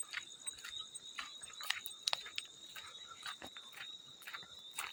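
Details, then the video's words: Field cricket calling steadily as a high, continuous shrill trill, mixed with frequent soft water splashes and drips throughout. "Field Cricket + water splash sounds"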